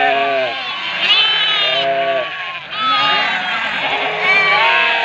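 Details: Ewes calling out for their lambs, a flock bleating loudly and continuously, with many long, wavering, overlapping bleats at several pitches, some deep and some higher and thinner, forming a dense chorus with barely a pause.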